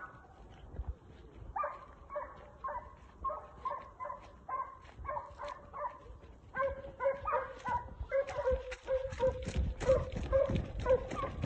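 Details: A pair of Italian hounds, Segugio Italiano, working a hare in training give a steady run of short, ringing bays about twice a second. The bays grow louder and closer toward the end, joined by rustling.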